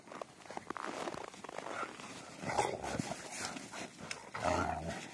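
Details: Two Rottweilers named Trisha and Ron play fighting: rough, low growling and grumbling in uneven bursts, louder toward the end, with scuffling and a woman's voice nearby.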